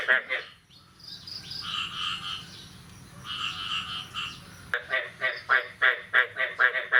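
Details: Frog chorus on a morning after the first rain of the year, 9 May 2022: pulsed croaks open and close the passage, and clear two-toned whistled notes, possibly a bird, fill the middle.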